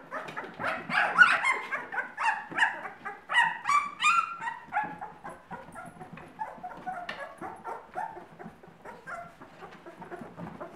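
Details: Two-week-old Irish Setter puppies giving a rapid chorus of high squeaky whines and yelps, several overlapping voices repeating about three times per second.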